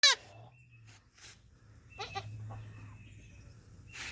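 A young goat gives short, high, nasal bleats with a wavering tremble.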